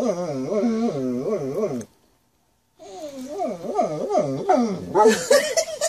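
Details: Dog producing 'talking' noises: undulating, yodel-like whines with regular pitch swoops, broken by a moment of silence, then resuming while laughter and voices join near the end.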